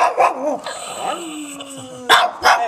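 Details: Chewbacca-sounding dog letting out wobbly growling moans, then a long held tone, followed by two sharp barks, as a person says "take it" during play.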